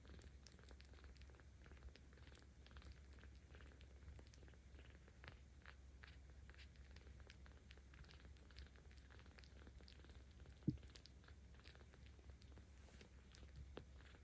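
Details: Aochan, a 17-day-old kitten cared for by cat volunteers in Tama City, Tokyo, filmed on 10 October 2022, purring while being petted: a steady, quiet, low rumble throughout, with soft clicks and rustles and one sharp tap near the end.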